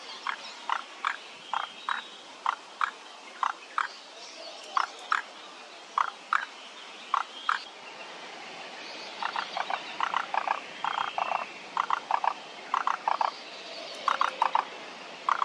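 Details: Frogs in chorus at Kamakura Central Park, Japan, 17 May 2024: many short clicking croaks, mid-pitched, repeating about three per second and overlapping from several callers, growing denser midway.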